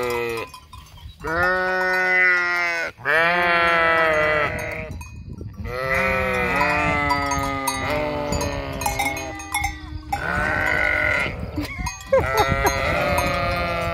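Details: Sheep flock near the vacant Hotel Fürigen calling in a chorus of drawn-out quavering bleats, one after another with short gaps, bell tinkling faintly behind.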